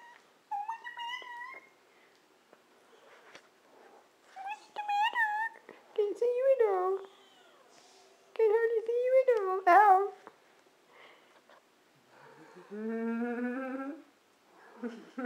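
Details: Month-old kittens in their indoor nursery, already eating solid food and using the litter box, giving repeated high thin mews in short bursts, some rising then falling, with a woman talking softly nearby.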